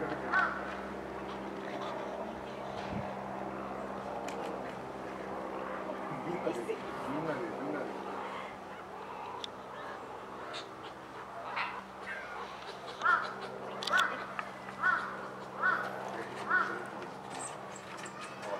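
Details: With a helicopter flying over, a meerkat on alert calls. A noisy engine drone and rustling fill most of the recording, then a run of five brief, evenly spaced chirps comes near the end.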